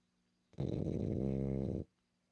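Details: Snoring from Milla, a female French Bulldog kept as a pet: a single harsh, vibrating snore just over a second long, steady and rattly throughout, against a silent room.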